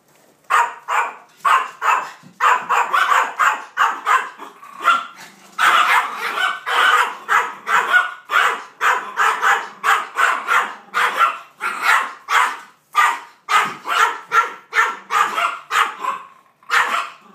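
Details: Maltese named Peyton Manning, in a bad mood, barking at a 3-foot cardboard cutout of two dogs; sharp rapid barks in steady runs, often several per second, with a few short pauses.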